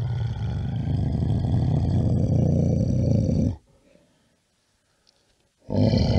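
A bear gives a deep, rumbling roar lasting several seconds, then falls silent before roaring again.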